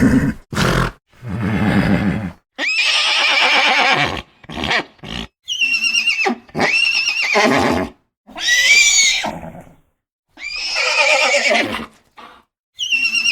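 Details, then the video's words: Horse whinnying in a run of loud, shrill, quavering bursts, each one to two seconds long, some sliding downward, separated by short silences, with lower rough snorting notes between them. "Horse Sounds"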